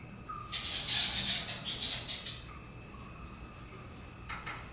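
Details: Rodrigues fruit bats in captivity at Philadelphia Zoo, active in early morning sunlight, flying back and forth; a two-second burst of harsh, high, squawking chatter in rapid pulses, then a short high squeak near the end, over a faint steady hum.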